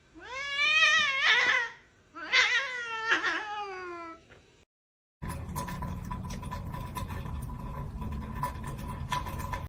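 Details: Pet cat giving two long, drawn-out meows, each wavering and falling at the end, with a short gap between them; a steady noisy rumble follows after a brief silence.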